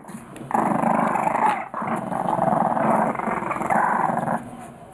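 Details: Three-week-old English Bulldog puppies growl as they play, a rough, buzzy rumble held for several seconds with a brief break near the middle.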